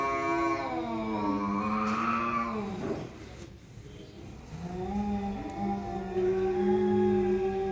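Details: Cat face-off with two cats: a continuous, wavering, mournful yowl that bends upward, drops into a brief lull, then resumes as a steady, droning howl at a similar low pitch.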